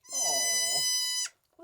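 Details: Newborn male Nigerian Dwarf goat kid, one of three kids just born to a farm doe, bleating shortly after birth: one long, steady, high nasal bleat of about a second, ending abruptly, with a brief soft sound after.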